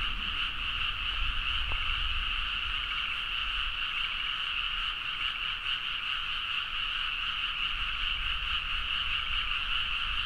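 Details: Many frogs calling vigorously in a Nagaoka, Niigata paddy field late at night, Zoom H4n recording; continuous layered croaking chorus, fast pulsed trills blending into a constant high buzz, one brief click early on, low background hum.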